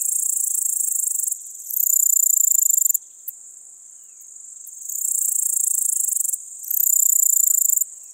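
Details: Littoral Dark Bush-cricket singing at Seewiesen, Germany, 11 July 2023. Sharp, high-pitched, rasping chirp trains alternate between softer and louder stretches, each loud burst lasting about a second, with brief near-silent gaps between series.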